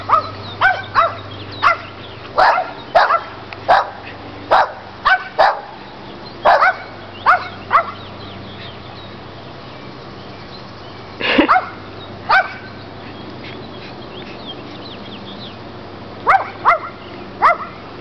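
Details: Playing with the neighbour's dogs as they do every day, Chihuahua and Rottweiler dogs let out bursts of quick sharp barks, a lull midway, then scattered barks again, with a low background hum throughout.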